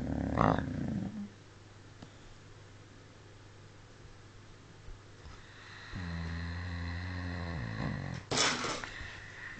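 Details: Smudge, a pet dog, snoring loudly: a quiet opening breath, a long hush, then a deep droning rasp with layered low tones and a harsh, noisy snort near the end.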